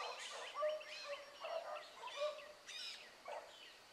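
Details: Blackcreek hound pups, including Ringo, Mingo and Choco, running in the morning. A chorus of distant bays comes in uneven waves, long drawn notes overlapping with shorter choppy yelps that fade toward the end.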